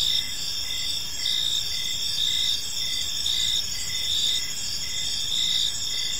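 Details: Several crickets chirp together as evening falls over a quiet park; continuous high ringing trills, some pulsing in short regular bursts, above a faint steady low background noise.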